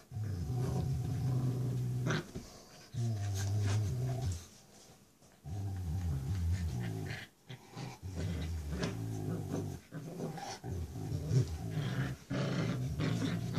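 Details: A six-week-old Rottweiler puppy growls while playing tug of war with her mother indoors; low, rumbling growls come in long bursts broken by short pauses, with rustling and scuffling between them.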